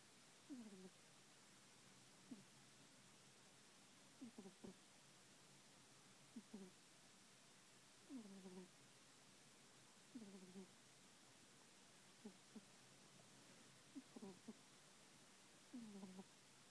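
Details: Prince Von Tass, a sleeping kitten, snoring: short, low nasal squeaky breaths in pairs, repeating roughly every two seconds through a quiet indoor room.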